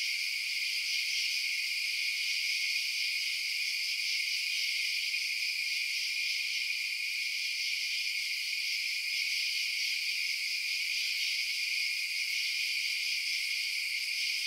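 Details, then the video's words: Crickets chirping through the night keep up a seamless shrill chorus for the whole stretch, evenly loud and high-pitched, with no other creatures, wind or human sounds. "Night Sounds Crickets Chirping"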